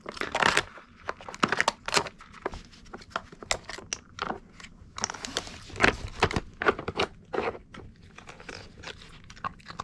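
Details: A Mameshiba named Kon eats treats while training with a puzzle toy indoors. Sharp, dry crunches and bites come in quick irregular bursts, some loud and some soft, with short pauses between them in a small quiet room.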